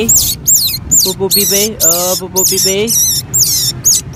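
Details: Rescued newborn otter pup, hand-raised and being toilet trained, gives loud, high squeaking chirps that slide downward. They repeat about ten times in four seconds over steady background music.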